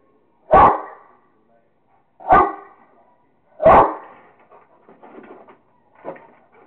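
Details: Kingston the Rottweiler, having fun playing with a squirrel, lets out three strong single barks spaced over a second apart, followed by softer, rougher sounds and one quieter bark.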